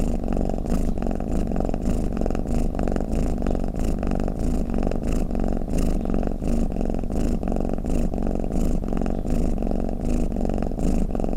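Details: Low, rumbling purr-snore of a domestic cat, held without a break and pulsing with rhythmic breathing swells roughly every second, with light breathy hiss riding on top.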